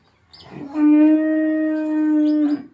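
A Jersey bull gives a long, steady, low moo that holds one pitch for nearly two seconds.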